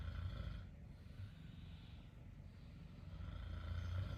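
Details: Exotic Shorthair cat asleep on mum's futon, kneading with its paws, snoring in a steady low rumble of deep, rough breaths that swell slightly louder toward the end; faint higher hum in the room behind.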